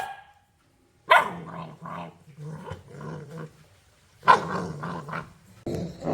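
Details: Puppy barking toward the camera or an off-screen sound: a sharp, loud bark, then a run of rasping, growly grumbles, a second bark with more rough growls, and a final burst.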